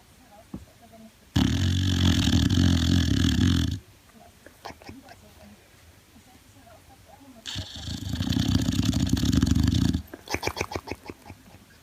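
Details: Jonny, a male Boxer, snoring while asleep: two long, harsh, rasping snores, each about two and a half seconds, with a deep fluttering rumble. Each is followed by short sputtering breaths and quiet pauses between them.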